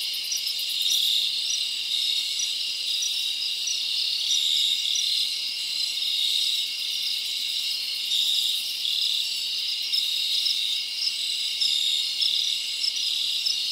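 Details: Summer night in the forest, with crickets chirping throughout: a constant shimmering high buzz overlaid by short repeated chirp pulses, and occasional brief hissy bursts near the top of the range.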